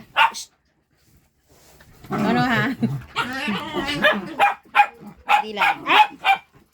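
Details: Pet dogs playing while waiting for their dinner: wavering, whiny vocalizing, then a run of short yipping barks spaced about half a second apart, with a person talking in Filipino over part of it.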